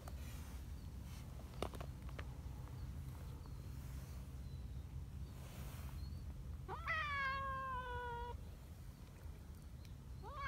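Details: Community cat at an outdoor cat gathering after rain, where a big black cat grooms others: one drawn-out meow of about a second and a half, clear and tonal, slightly falling then steady, a second meow starting at the end, earlier soft taps and low hum.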